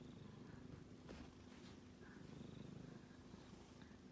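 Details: Quiet, continuous low grumbling snore from a sleeping male kitten, fast fluttering pulses with little rise and fall, a soft click near the middle.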